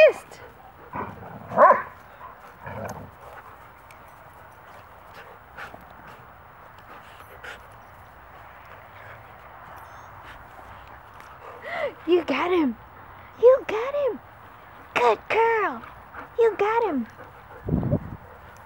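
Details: Wolfdogs in a playfight as Mango, a 12-year-old Great Pyrenees mix, moves in to break it off. Sparse thuds come first, then a cluster of arched, downward-sliding yelping whines in quick succession, ending in a short low rumble.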